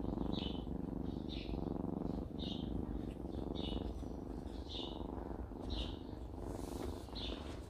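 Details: A countryside mother cat purrs steadily in a low rumbling drone, the sound she makes when happy, after waking and washing her face, with bright bird chirps repeating behind.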